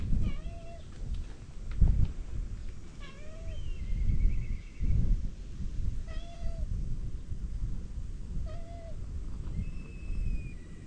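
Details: Cats at a temple on a cat island in Japan, greeting visitors with repeated short meows every two to three seconds, set against heavy low rumbling noise, with a thin steady whistled tone near the end.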